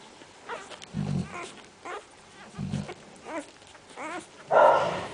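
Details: Central Asian Shepherd Dog puppies giving several quavering, wavering whines that rise and fall in pitch, mixed with short low grunting thumps, ending in a louder, harsher yelp.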